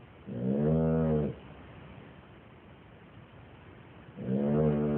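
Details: Sleeping dog with two long, nasal, humming snores, each about a second, the second one rising just before the end, with near silence and faint room noise between them.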